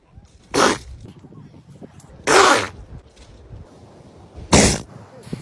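A sea lion lets out short, explosive, rasping bursts that sound almost like sneezes or coughs. Three come at uneven intervals of roughly two seconds, with a faint murmur of background noise between them.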